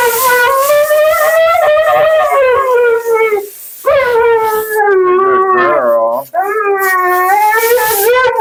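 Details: Vocal female Siberian Husky named Mila keeps up nonstop commentary at the groomer's, drawn-out yodelling howls that slide downward, then wavering moans climbing again, with faint human speech behind.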